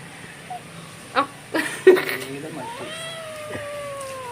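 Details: Kitten, the youngest in the household, meowing at home; after brief human voices, a drawn-out tonal meow rises slightly and then slides slowly downward, with clear harmonics over a quiet indoor background.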